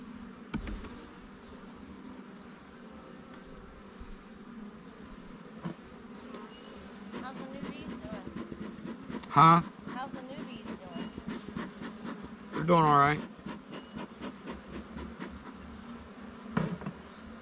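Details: Honey bee colony in a queenright split hive checked 20 days after splitting, started with the queen and five frames, now crowded and drawing comb on honey supers; steady low droning hum throughout, broken by brief human speech and sharp clicks.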